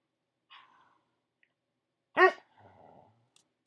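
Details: A pet dog barks on command indoors: one short, sharp, loud bark with a harmonic-rich onset, followed by a low rumbling trail, between quieter murmurs and small room noises.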